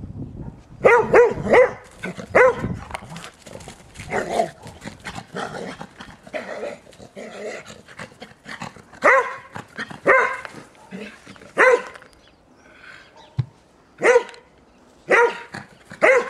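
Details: Playful barking from an 11-year-old springer spaniel romping in snow after a recent snowfall; sharp single barks and rapid clusters come every second or so, with softer rustling between.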